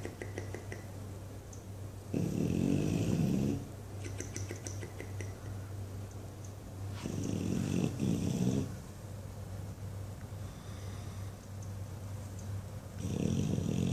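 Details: Sleeping English Bulldog Buddy, dreaming, snores loudly in long rough low breaths about every five seconds, separated by quieter stretches with flapping, crackling lip noises; a constant low hum sits beneath.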